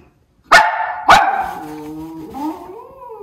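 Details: Levi, a white Miniature Schnauzer, alerting to something on the frozen lake in Aroostook County, Maine, in January before a snowstorm; two sharp barks half a second apart, then a lingering whine and whimpering tones.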